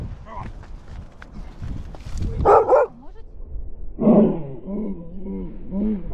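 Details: Beagle. A beagle barks twice, each bark a loud, rough burst. A quick series of shorter, ringing yelps follows, with a faint low rumble of background noise underneath.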